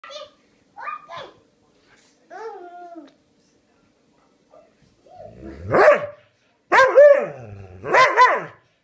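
A Dobermann makes varied whining, yowling vocal sounds that rise and fall like talking.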